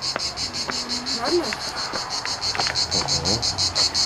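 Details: Cicadas calling near the Laspi pass in Crimea, described as big, like large grasshoppers: a loud, high, pulsing buzz repeated about three times a second, steady throughout, with faint footsteps and handling noise below.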